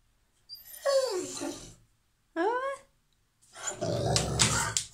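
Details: An excited female Rottweiler whines in high, falling and rising cries, asking for her stuffed panda bear toy, then grumbles.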